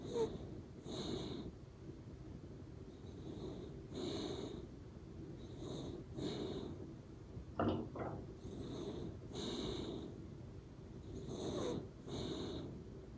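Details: Ranmaru, a pet Shiba Inu asleep indoors, snores through the nose with a soft 'pu-pu' sound: breathy, wheezy puffs repeating about every one to one and a half seconds, plus a brief higher whistle midway.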